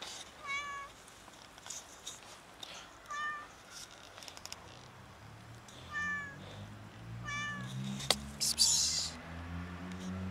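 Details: Very skinny, starving cat asking for food with loud meows, four short tonal cries spaced a couple of seconds apart over a low rumbling hum and scattered clicks.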